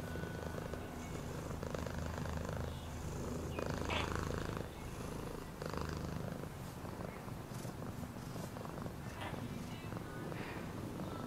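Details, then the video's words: Cat purring as a dense low rumble throughout, with a louder rustling burst midway and faint voice-like sounds mixed in. "Cat purring sound"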